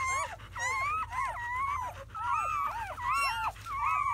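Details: Newborn German Shepherd pups from a litter of seven (four boys, three girls), recorded within hours of birth in May 2017: thin, wavering high squeals in quick overlapping bursts, several pups crying at once with brief lulls.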